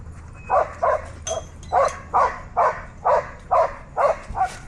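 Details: A dog at a dog park gives a steady run of about ten short, sharp barks, roughly two each second, clear over a low background rumble.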